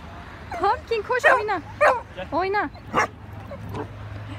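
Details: High, arched yelping barks from Pumpkin, a young pet Rottweiler in its first six months, come in a rapid uneven run of about eight calls, some stacked with bright harmonics, with quiet room hum behind.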